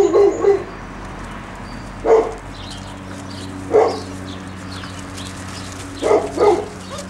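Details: Hovawart puppies out in the garden for the first time, exploring excitedly. Short, high yipping barks come in bursts, single or doubled, spaced roughly two seconds apart, over a low steady background hum.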